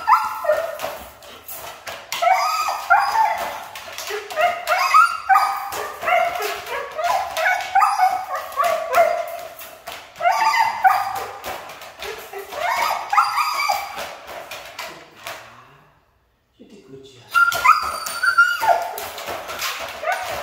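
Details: Siberian Husky, described as hard to train, giving a long run of whining, yodel-like vocal sounds with gliding pitch, rising and falling in quick irregular bursts, with a short silent break near the end before it resumes.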